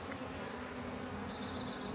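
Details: Honey bee colony in Brno, 2022, after an inserted queen cell was found chewed open. An even, low, humming drone with a faint higher whine toward the end.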